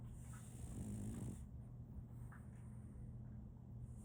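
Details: Sleeping French Bulldog puppy named Solaimy gives one rough, drawn-out snore lasting about a second, followed by quieter breathing, with a constant low hum underneath.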